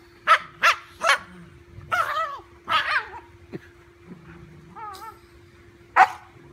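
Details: A dachshund gives three sharp, high barks in quick succession, then yips and whiny growling sounds while fearlessly taking on a big golden retriever puppy.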